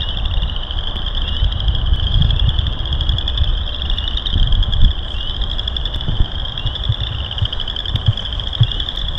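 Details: Frogs in full chorus during a March hike around loop 3 at Burr Reed Marsh, Morton Arboretum: ringing high-pitched pulsed trilling that never stops, with low thumps and rumbling noise beneath.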